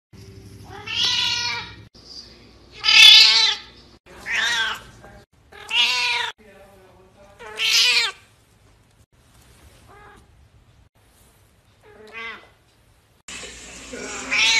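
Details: Short domestic cat meows spaced a second or two apart, some sharp and rising, with quiet gaps and a low hum in the background.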